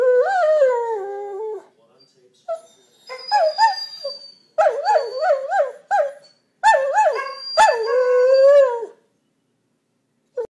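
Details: Two greyhounds, Cody and Tiny, roo together in a singing bout: wavering, yodelling howls sliding up and down in pitch, broken into several long bursts with short pauses, voices overlapping in warbled harmony.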